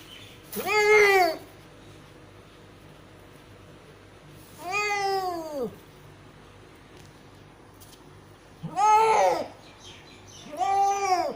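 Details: Cat delivering a litter of five kittens meows repeatedly: four loud, harmonic, arching meows spaced a few seconds apart, each rising then falling, over a low steady hum.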